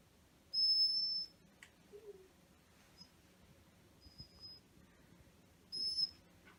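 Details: A male black Shiba Inu named Maro whines while waiting for food. A sharp, high, pure whistling note opens the clip, then comes a faint short tone, and a second bright whistle near the end, with quiet room noise between.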